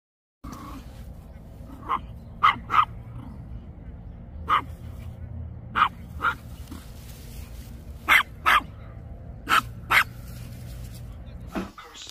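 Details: Dog playing chase with other dogs in a park; a string of short, sharp barks, singly and in quick pairs, over a steady low hum with some human voices.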